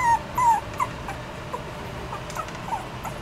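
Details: A Maltipoo (poodle × Maltese mix) puppy gives thin, high whimpers, each a brief falling whine.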